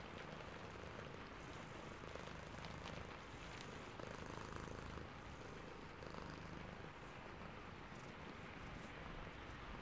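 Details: Sleepy domestic cat purring in the rain: a steady low rumbling purr throughout, under constant hiss of rainfall with soft patter and faint higher drips.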